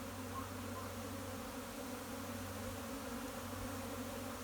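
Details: Japanese honey bee swarm moving into a hive on a spring day, 15 April 2021, with scout bees busy at the entrance; a steady low droning hum holds without pause, thick layered buzzing throughout.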